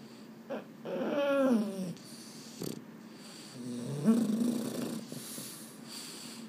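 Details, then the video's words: Boston Terrier (the males Mambo and Cub) at bedtime, unable to sleep: two wavering, nasal, groaning moans, the first rising then sagging, the second lower and rougher, with soft breathy noise between them. "【Boston Terrier】 I can't sleep…"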